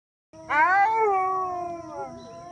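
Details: Wolf joining its pack in a howl: one drawn-out tonal howl that swells briefly, then slides slowly downward for about two seconds, rich in overtones, over a faint steady hum.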